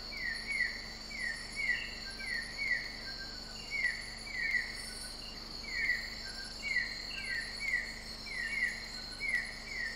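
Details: Broad-headed frog, Limnonectes conspicillatus, from Sabah in Borneo, Malaysia (Kota Belud; Kundasang, Kinabalu Park). Clipped, downward-sweeping notes come about every second, some doubled, against continuous shrill insect buzzing.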